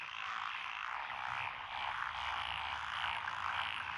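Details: Steady wall of overlapping croaks and rattling trills from a mixed frog chorus in lotus paddies, Echizen, Fukui Prefecture, Japan, June 12, 2021; species include Japanese tree frog, black-spotted pond frog, wrinkled frog and green tree frogs.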